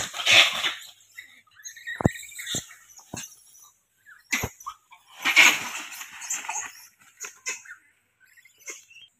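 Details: Monkeys fighting: harsh, high-pitched screeches come in short bursts, with loud clusters at the start and around the middle, separated by sharp clicks and brief silences.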